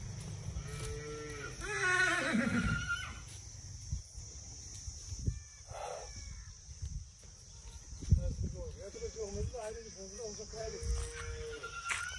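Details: Horse in India neighing: a loud whinny whose stacked tones slide steeply downward over about a second, then later a quavering, wavering call with shorter pulses. Steady background hiss and low rumble throughout, with occasional clicks and knocks.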